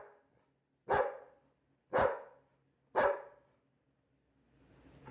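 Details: Labrador retriever giving three loud, abrupt barks roughly one second apart, then quiet with a faint hum and soft rustling at the end.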